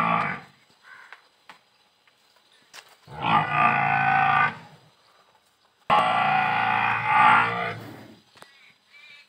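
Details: Murrah buffalo at Shree Shyam dairy farm, Parbatsar, recorded 16 December 2022, giving two loud, rich harmonic bellows of about one and a half seconds each, separated by a short quiet gap, with faint farm noises between them.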